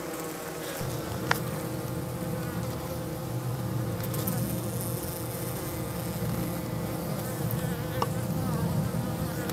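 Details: Dense, low droning hum of many Minnesota hygienic honey bees flying around their hive south of St. Paul on the first warm March day, about 55 degrees, while carrying dead bees out from the bottom; a few faint clicks.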